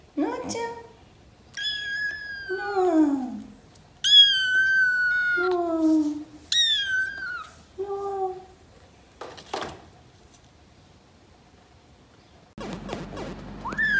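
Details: A month-old rescued gray kitten from Paraguay, wild-blooded, calls indoors while wanting to climb on a lap: a string of five falling mews over about nine seconds, then a click and a burst of rustling noise at the end.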